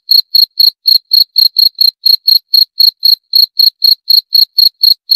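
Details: A cricket's unbroken run of short, bright chirps, evenly spaced at roughly four per second, with clean silence between pulses and no background noise.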